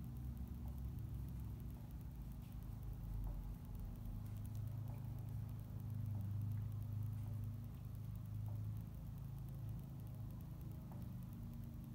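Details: Low steady rumbling hum with faint scattered ticks and no animal calls.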